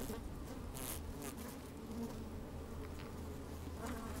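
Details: Microphone slid into an open beehive on a sunny, slightly windy day catches honey bees moving about: constant low drone with steady tonal bands and a few short hissing brushes.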